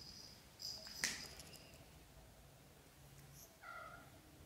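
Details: British Shorthair kittens in their first month of growth, from a litter of four born to Samel and Leo, make a few brief high squeaks, then one short, clearer, lower mew near the end. Quiet indoor background.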